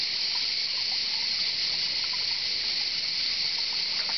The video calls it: Il canto delle cicale